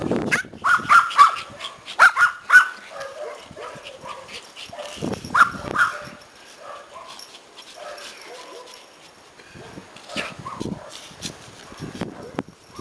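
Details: Happy Pomeranians reunited with their owner after a vacation give bursts of high yelping yips in small clusters, separated by pauses filled with shuffling, murmured speech and household noise.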